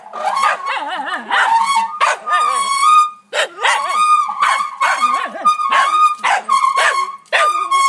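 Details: Oliver the dog barks at a wheelbarrow in a backyard; sharp repeated barks and yips are interleaved with a steady, high, drawn-out squealing tone that holds between them.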